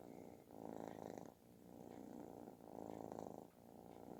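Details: Kitten purring loudly like snoring while seeking affection; a rough, continuous rumble that swells and eases with each breath, two strong surges within a few seconds.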